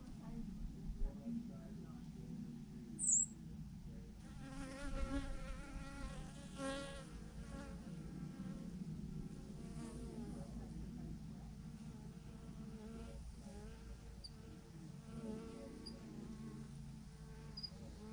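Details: Thousands of bees hanging in a massive clump on a branch; a low steady hum gives way to passing buzzes with clear harmonic whines swelling and fading over several seconds, with a brief sharp click early on.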